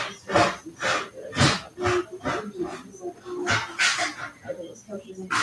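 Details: Cavalier King Charles Spaniel puppies at play indoors in their home pen: short, rough yips and growly barks come in uneven bursts roughly twice a second, with a human voice talking over them.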